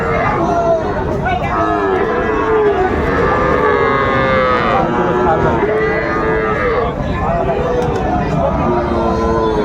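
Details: Cattle at Ranigonj market in Dinajpur, Bangladesh, on 3 September 2024, where Friesian and cross-bred bull calves are sold: several drawn-out lowing moos rise and fall over a loud, constant crowd of voices.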